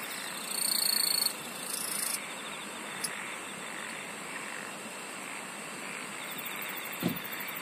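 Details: Insects singing in a dense, steady chorus, with sharp, pulsed high-pitched trills near the start and a continuous shimmering hiss underneath, plus a brief low thump near the end.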